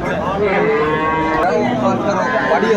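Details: Cattle at the Aftabganj market in Dinajpur, Bangladesh, where improved-breed dairy cows and calves are sold: a drawn-out, wavering low moo runs through most of the clip over steady crowd murmur and livestock noise.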